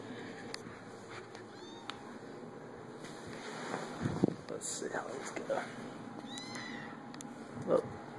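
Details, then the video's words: Playing kittens indoors give thin, high, arching mews, two brief ones near the start and a longer rising-falling one later, over steady room hiss with some clicks and soft voices in between. "Cute kitty cats playing & making kitty sounds"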